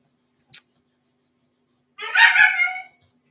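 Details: . A Siberian Husky boarding dog, very upset at being shut in his crate, gives one strained, harmonic whine lasting under a second. It comes after a single sharp click and is followed by quiet.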